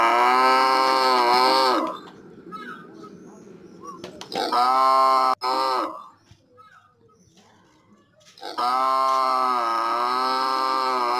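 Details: Cow. A cow moos three times, each call loud, rich and slightly wavering, lasting one to three seconds. Short quiet gaps with faint background noise fall between the calls.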